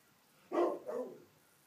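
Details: A pet Rottweiler guard dog gives two gruff, quick, deep barks, the first louder and sharper, raising the alarm at a street-parked car's alarm; recorded from inside the house through a glass door, so the sound is low.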